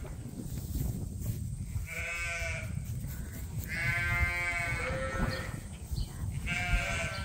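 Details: Ram Leonard bleats in the barn at Ewetopia Farms as a leg trim with scissors is offered. Three rich, quavering bleats come about two seconds apart, with low barn rumble beneath.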